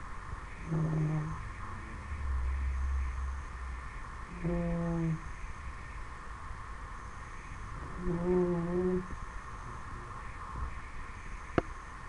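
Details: Ten-week-old Dobermann puppy asleep and snoring, with three low, slightly wavering hummed breaths at steady intervals of about three to four seconds, a brief low rumble between them and a soft click near the end.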